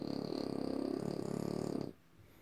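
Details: French Bulldog giving a steady, pulsing, throaty snore-like rumble that stops abruptly after about two seconds.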